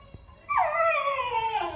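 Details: Puppy named Lilly, a pet dog, gives one drawn-out whine after a short silence, falling from high to lower pitch with a rich tonal quality, while a person talks to her playfully.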